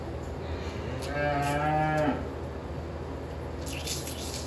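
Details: Dairy cattle on a dairy farm on Christmas morning; a single drawn-out harmonic moo lasting about a second, steady then dropping at the end, over a constant low machine hum and faint background clatter.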